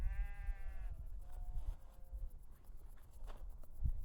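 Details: Sheep (Ovis aries) on chalk grassland at Castle Hill, Brighton, heard during a wart-biter bush-cricket survey, gives a wavering, nasal bleat then a fainter second bleat amid wind noise.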